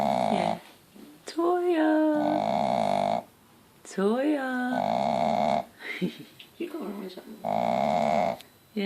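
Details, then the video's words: Shih Tzu mother Toya, content beside her four Mal-shi pups five days old, snores in harsh repeated breaths, broken twice by a whining voice that rises and falls. "Snoring mummy dog!"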